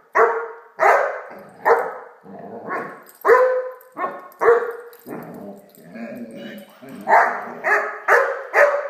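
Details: Great Dane puppy named Blacky barking while playing with a toy dog; a steady run of short, loud, broad barks with a bright harmonic core, about one every half second, some lower growly barks between.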